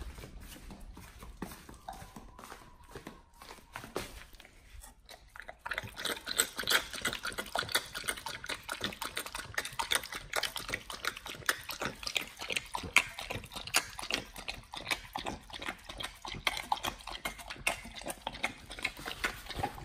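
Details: Pit Bull named nomyen eating a raw whole Thai duck for the first time on a raw prey-model diet. Quiet, sparse crackles open the recording, then dense, continuous wet crunching and tearing fills the rest indoors.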